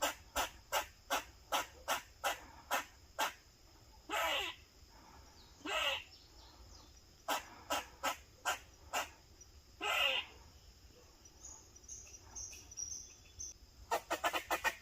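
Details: Protective barking by an eastern gray squirrel. Crisp repeated chucks alternate with long, buzzy rasping notes, and the clip ends in a quick flurry of rapid barks.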